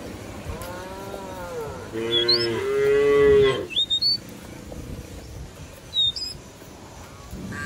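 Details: In a village field a cow moos to summon companions back to the barn; one long harmonic moo followed by a shorter one, with sharp bird whistles and chirps around it.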